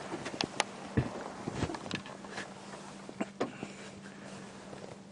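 Scattered knocks and shuffling over a steady low engine-like hum, with no animal voice.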